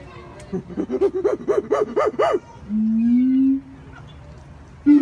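A monkey gives a quick run of rising-and-falling hoots, then a long, steady, slightly rising moan.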